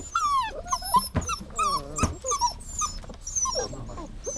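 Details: Dog whining steadily: short, bright, falling and sliding whimpers following one another closely, several cries bending downward in pitch, with a couple of sharp clicks between them.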